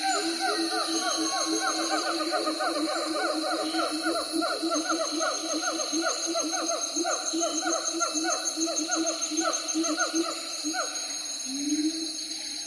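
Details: Siamangs in a long, dense run of quick hooting notes, each note sliding downward and rapidly repeated, ending in a rising swoop, backed by a constant high buzzing drone.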